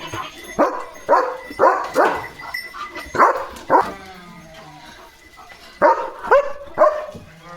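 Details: Alert barking from Leo the German Shepherd while a herd of sheep goes past the gate: bursts of rough barks, a pause of a couple of seconds with faint whining, then three more barks.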